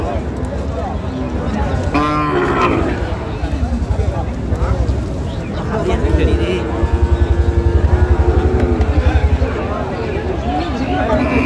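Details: At Aftabganj cattle market on 1 November, a cow lets out one brief moo early on, followed by traders talking and a steady rumbling engine or motorbike noise.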